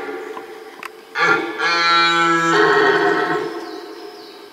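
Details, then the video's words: Red deer roaring during the rut at a rutting ground. One powerful, deep, rasping bellow lasts about two seconds, shifts tone partway through and then fades, with faint birdsong behind it. "Mitten im Brunftkessel - Ein gewaltiges Röhren - in the middle of the rutcauldron Red Deer"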